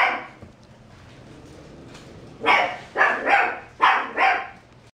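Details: Mixed-breed dog giving a few yelping barks in two pairs of bursts, the first pair after a quiet start, a faint steady hum beneath.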